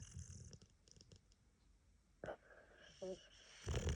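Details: A boxer dog snores in deep, rough, rumbling rasps with a brief squeaky wheeze between breaths, louder than usual because of a head cold.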